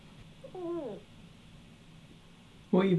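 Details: An 8-year-old female Bengal cat (Felis catus), chasing her own tail on a high indoor climbing shelf, gives a short, rolling trill that slides downward in pitch.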